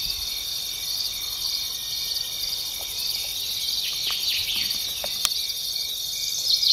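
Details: Shrill, even grasshopper buzz holding steady at a high pitch, broken by a few short downward chirps and one sharp click midway.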